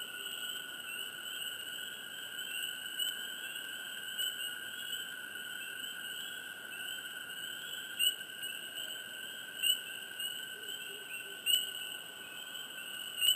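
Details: Frogs chirping close by in a hushed swamp: a few short rising chirps near the end stand out over a steady, high, multi-layered night chorus of droning tones.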